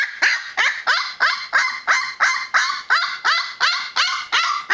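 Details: Newfoundland puppy, 20 days old, protesting noisily with loud, high, falling yelping whines repeated steadily about twice a second.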